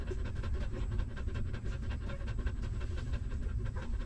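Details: Hungry newborn puppies of a stray mother dog nursing, sucking milk: rapid wet clicks and smacks crowd together in quick succession over a steady low rumble.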